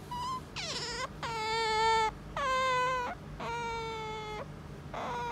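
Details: Pet otter indoors, calling while demanding to be petted: a run of five loud, drawn-out whining squeals, each steady and rich in overtones, with short breaks between them and a low room hum underneath.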